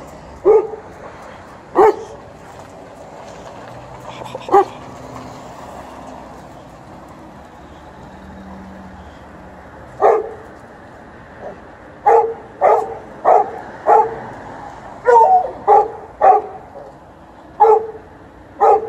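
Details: A Golden Retriever and an Alaskan Malamute being given treats bark in short single woofs, sparse at first, then in a quicker irregular burst of about a dozen barks, with low background hum.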